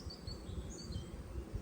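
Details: Low, steady buzzing of many honey bees flying everywhere around nucleus colonies at an apiary in early spring, on a warm spell after heavy rain, with faint high bird notes above.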